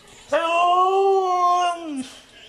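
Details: Snow dog answering a person's friendly questions with one steady, sustained, tonal howl-like note lasting nearly two seconds, held level and then trailing off, in a small room.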